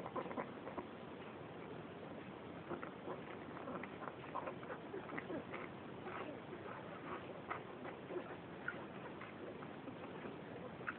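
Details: Five Cairn Terrier puppies of the dam Gina, eleven days old, fill the air with a dense, overlapping stream of short high squeaks and whimpers that continue without pause.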